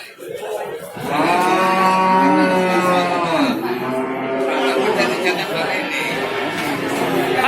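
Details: A sustained, droning bellow from cattle at the Babat cattle market, Lamongan, East Java, recorded on 29 September 2020. The low call starts loud and slowly sags in pitch, with people talking and crowd noise around it.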